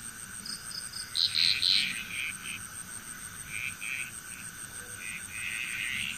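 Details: Frogs calling together in Bali, Indonesia, with a loud cluster of quick, rattling croaks near the start and scattered shorter pulsed calls afterwards, set against constant high-pitched insect buzzing.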